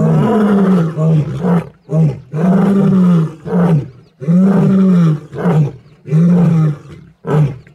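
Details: Roaring from wild lions of the Kambula pride and Ndhzenga males at MalaMala Game Reserve, Africa, a group with mating and cubs. Powerful low roars alternate with shorter grunting bursts in a steady run of about eight calls.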